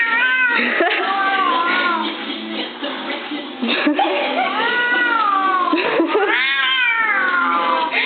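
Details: Domestic cat meowing while its owner dances with it: drawn-out rising and falling meows over continuous music and voices.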